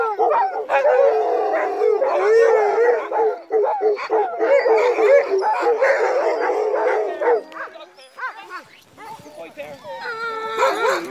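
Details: A sled team of crossbred husky mixes at night in falling snow, a dense chorus of wavering, whining howls and yelps from several dogs for about seven seconds, then fading to scattered short yips.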